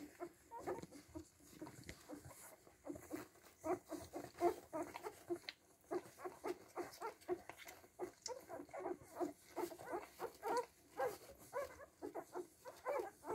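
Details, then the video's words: Freshly woken Siberian Husky puppies, one week old, keep up a busy chorus of high, squeaky whimpers and chirping squeals, dozens of brief cries tumbling over one another almost continuously, alongside light pattering and rustling. "Щенкам Хаски 7 дней"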